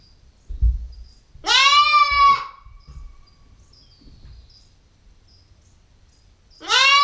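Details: Nubian goat kid, a 9-week-old female, filmed on a GoPro: a long harmonic bleat of nearly a second, wavering slightly, then a second bleat starting at the end, with soft thuds and faint high chirps between.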